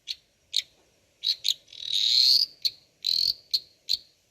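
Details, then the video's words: Captive dwarf tree frogs calling loudly, a shrill rasping trill near the middle surrounded by short high clicky chirps spaced irregularly, fairly rapid and piercing. "Dwarf Tree Frog croaking loudly"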